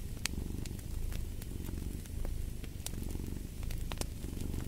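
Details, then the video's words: Low, continuous cat purr with a grainy rumble, pulsing gently in breath-length waves, layered over frequent crackles and sharp pops from a fire burning in a fireplace. "Purring of a Cat"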